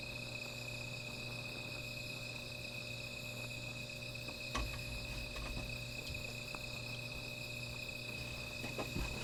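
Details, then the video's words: At night by a small fire, insects keep up a constant high-pitched ringing buzz with faint upper tones, while occasional sharp crackles and soft low thumps break through. "Sound of Insects"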